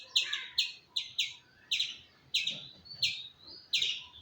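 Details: Loud, clipped squirrel chirps with a slightly downward sweep. They come in pairs and singles about half a second apart, over a soft, hissy background.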